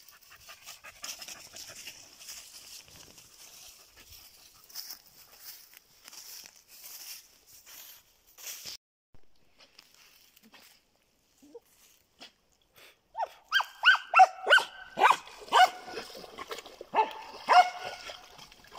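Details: Jagdterrier out mushroom picking in autumn: rustling and footsteps through the undergrowth, then a quiet pause, followed by a series of short, high, whining yelps repeated several times a second near the end.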